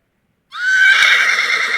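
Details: A horse neighs, a high tonal whinny that rises at first, then turns rough and breathy.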